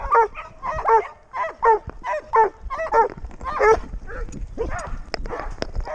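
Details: Six-month-old Doberman Pinscher walking with its owner, captured on a GoPro, barks in a quick run of about eight strong yips, then trails off into softer, muffled whimpers and scattered clicks.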